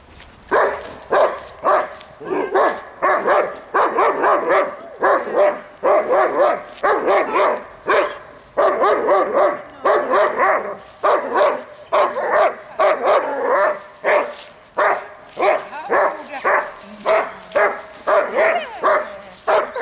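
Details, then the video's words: A dog barks steadily during distraction training for a young dog of about nine months at a dog school. The barks are sharp and rapid, repeated in a dense series with hardly a pause across the whole stretch. "haukkuvan koiran häiriötreeni"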